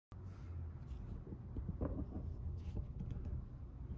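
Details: A rescued kitten on its sixth day in care purrs while being stroked. A steady low rumble runs throughout, with handheld rustling and bumps on top.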